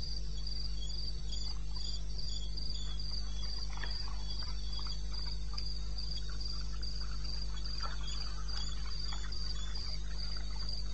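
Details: Crickets in the wilderness of eastern Botswana at 02:30 at night, recorded 21 May 16: a steady high pulsed trill repeated in bursts, with faint scattered chirps from other insects and a constant low hum beneath.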